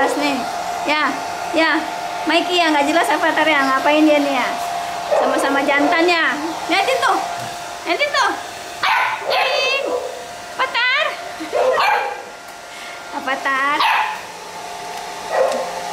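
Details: Pit Bull puppies, two males named Avatar and Mickey, fussing while being dried: repeated high, wavering whines and short yelps that rise and fall, over a steady hair dryer hum with a person's speech in between.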